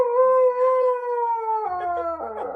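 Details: Pet Husky at home giving a long, steady, clear howl held for about one and a half seconds, then dropping in pitch into shorter wavering talking-like notes.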